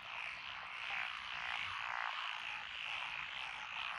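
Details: Chorus from lotus paddy fields along a rural road in Echizen, Fukui, Japan, recorded 12 June 2021: many frogs croaking at once, forming a steady, swelling wall of raspy calls with no pauses.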